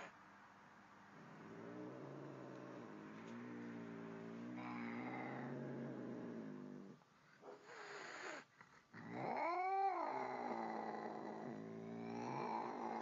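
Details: Angry cat facing a calm cat in the same place: a long, low, wavering growl lasting several seconds, then a brief pause and a loud rising-then-falling yowl, followed by more low moaning.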